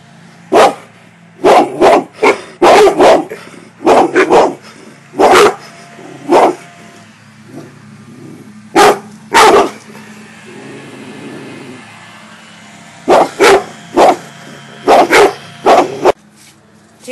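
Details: Cane corso Gia and bullmastiff Deuce, two pet dogs, barking on command during tricks: loud, deep, abrupt barks in clusters and doubles with short gaps, a steady low hum beneath.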